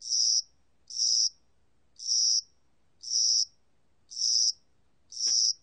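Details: Spring-and-summer cricket from Korea, six loud high-pitched buzzy chirps spaced about a second apart, with a faint tick near the end.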